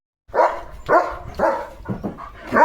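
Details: Pet German Shepherd barking in its yard beside a sparrow's nest holding two eggs, the sparrows possibly frightened. Four or five deep, hoarse barks follow each other roughly every half second with low background rumble.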